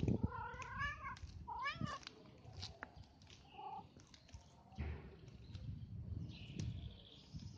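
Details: Street cat named Bob letting out two loud wavering meows at the start, followed by rustling, clicks and low background noise.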